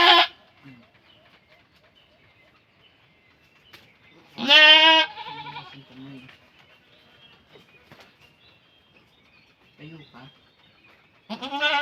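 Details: Goat during birth letting out loud wavering bleats at the start, near the middle and at the end, separated by long quiet gaps with faint low grunts and soft human speech.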